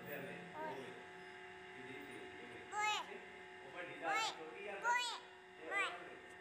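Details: Frightened lone tortoiseshell kitten, about two weeks old, crying from inside a long concrete pipe in an old paddock. One faint mew, then four loud rising-and-falling wails about a second apart, over a constant background hum.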